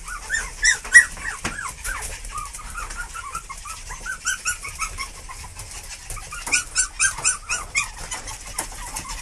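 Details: Puppies trailing after their parents give a long run of high, thin whimpers and squeaks, arched and repeated rapidly in clusters, some rising and falling, with a few louder bursts near the start and end.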